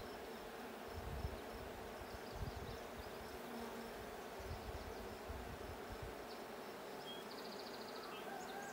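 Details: Droning of honey bees at the blue hive, checked 20 June 2022. The hum holds steady, with low thumps breaking through now and then and faint high bird notes near the end.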